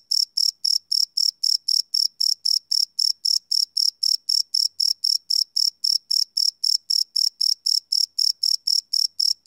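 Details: Live field recording of crickets at night: high, metallic chirps follow each other in a steady rhythm, just under four a second, about three dozen in sequence with a quiet backdrop.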